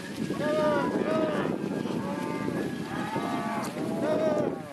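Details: Angus and Red Angus heifers and cows in a large herd lowing. Four or five drawn-out moos rise and fall in overlapping waves about once a second against a constant noisy hum.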